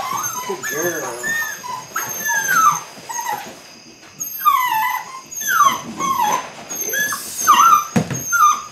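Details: Eight-week-old Belgian Malinois puppies from the Android Whiteline Czech x Mason's AnnieLou litter at the start of bite work, giving high tonal whimpers with rising and falling slides, overlapping one another, with human voices mixed in.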